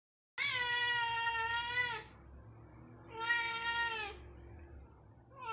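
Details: A talkative Siamese cat in the morning gives long, drawn-out meows, each sliding gently downward at the end.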